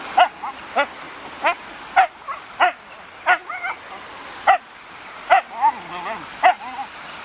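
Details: An agitated Siberian Husky named Raign, upset at a balloon, barks in a quick, fairly steady series of harmonic yelps, mixed with curling whines that dip and rise.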